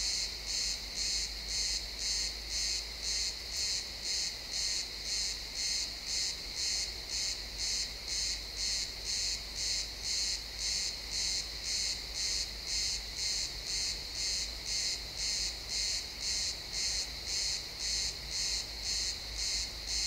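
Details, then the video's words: Chirping crickets fill a pine forest at sunset, recorded in realtime XY stereo; a steady train of shrill pulses near two per second continues throughout, with a low rumble of distant ambient noise underneath. "Cricket sounds in the pine forest"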